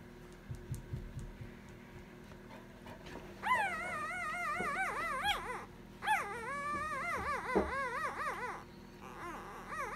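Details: Three-day-old female Basset Hound puppy dreaming in her sleep: soft scattered snuffles, then two long runs of whiny, wavering, harmonic whimpers and yips that rise and fall in quick wobbles, broken by a short pause.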